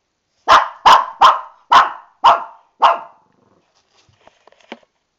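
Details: Angry about an upcoming bath, Lani the Shih Tzu barks from inside the tub she cannot get out of: six rapid, harsh barks about two-fifths of a second apart, followed by quiet and a few faint clicks.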